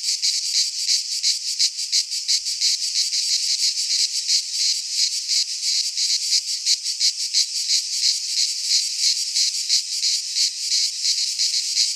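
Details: Cicadas singing in midsummer in a Greek pine forest: a dense, loud, continuous buzzing chorus with rapid pulsing, about three pulses a second, no other sounds heard.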